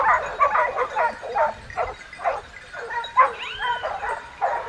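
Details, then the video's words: Hunting dogs on a wild boar chase in the south of France: choppy yapping barks mixed with higher yelps and a short wavering howl, several dogs calling over each other. "Hunters and dogs behind a boar in the south of France"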